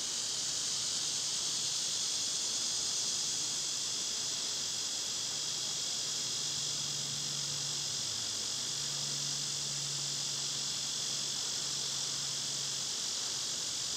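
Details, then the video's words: Summer cicadas at full volume, a dense, shrill, unbroken buzzing drone that dominates throughout, with a low steady hum underneath. "Cicada sounds"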